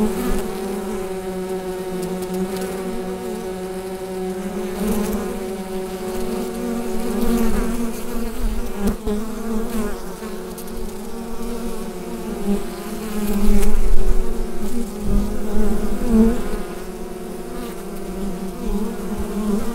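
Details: Western honey bee (Apis mellifera), hive buzzing.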